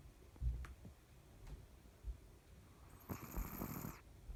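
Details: A dog snoring while fast asleep, not waking until its feet are touched; quiet low snorts roughly every one and a half seconds, then a short burst of rustling handling noise near the end.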